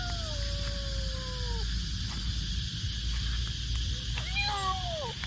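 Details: A scared, rescued stray street kitten, waiting to be saved, gives loud, long, thin, falling meows over steady traffic rumble and background music.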